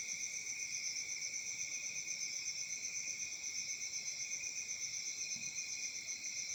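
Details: Crickets chirping on a summer night in Africa: a steady, dense, high pulsing trill with two bright pitch bands, beating rapidly and evenly throughout, with no other clear sounds.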